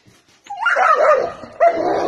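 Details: Dog giving a drawn-out, wavering whine that rises and falls, followed by a second louder whining note.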